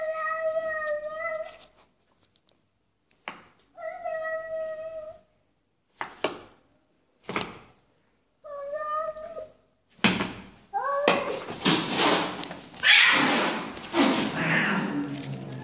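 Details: A cat meows repeatedly, with clear harmonic cries about every two seconds and short breaks between them. Loud broadband rustling and scuffling noise then takes over the second half.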